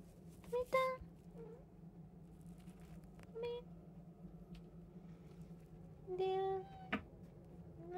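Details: Domestic cat, one of three household cats (a tabby, an Abyssinian and a short-legged Munchkin), indoors, giving three brief, soft harmonic meows spaced a few seconds apart over a low steady room hum with faint human voices.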